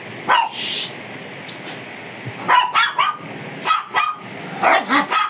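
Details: Barking from a fierce Shih Tzu during grooming: a lone bark, a pause with faint hiss, then clusters of quick sharp barks in twos and threes.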